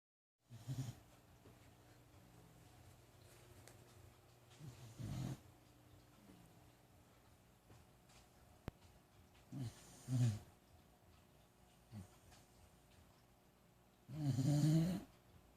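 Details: Dog asleep on a couch, snoring in irregular low raspy breaths separated by long quiet pauses, about four snores in the stretch.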